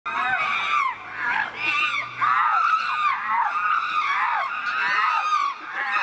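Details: Three castrated chimpanzees, Tommy, William and Peter, fighting at Chimpanzee Eden, Twycross Zoo, as Peter whacks Tommy repeatedly; loud, shrill, harmonic screams rise and fall almost without pause, in overlapping bursts.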